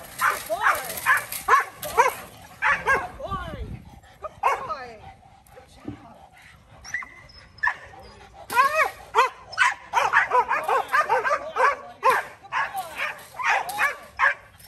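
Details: Male Rottweiler Kolohe starting protection training with bite work, giving strings of rapid, forceful barks that pause briefly mid-recording and then resume in a dense, uneven run.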